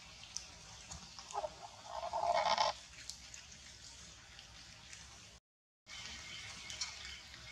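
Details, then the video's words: Monkeys fighting to get a queen in a cruel attack near a forest; a loud, harsh, shrill squeal with stacked harmonics lasts just over a second, then only faint background hiss with a brief dropout and scattered clicks. "Monkey Fighting To get a Queen Loudly Noise, Cruel attack near the Forest."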